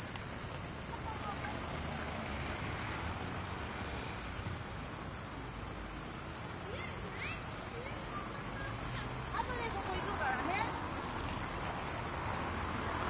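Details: A well-camouflaged Kaempfer cicada on a tree in Tokyo, Japan, July 17, 2021, starts singing again, a steady, high, hissing buzz that runs on without a break.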